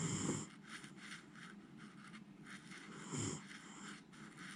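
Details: Sound asleep after getting tired, Miniature Schnauzer Jiji snores. A short raspy snore at the start and a fainter one three seconds later, with soft hissing breaths in between.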